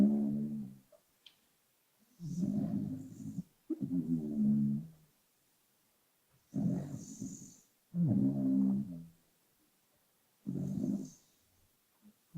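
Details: Arlo, a pet dog, snoring in sleep, lightly boosted in volume: low rumbling snores repeating roughly every two seconds, each grating inhale paired with a softer breath, some ending in faint high wheezy hiss, quiet pauses between.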